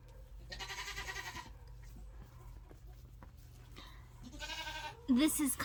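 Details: Friendly Nigerian Dwarf baby goats on a farm bleat twice, each a shaky, nasal cry about a second long with a few seconds of quiet between, then a sudden loud sound at the end over steady low hum.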